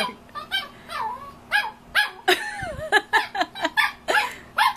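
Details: A male Shih Tzu barks at his own reflection in a mirror, a rapid string of high, yappy barks, with people talking and laughing nearby.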